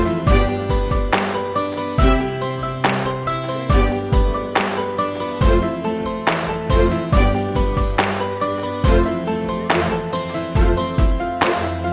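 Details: Gentle instrumental music with plucked strings and a regular beat plays throughout, with no buzzing or other animal sound.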